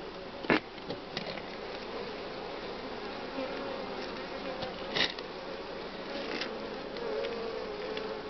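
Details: Spring honey bee colony humming at the hive as the colony grows and the brood nest is broken up; a constant mid-pitched drone, with brief clicks and two loud knocks near the start and middle.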